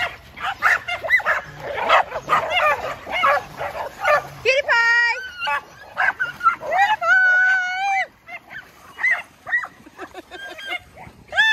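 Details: A tri-colour male Border Collie, nearly seven years old, on a farm, eager to keep people running on time for his herding ball game: high, pitched yelping barks rise and bend between stretches of people talking.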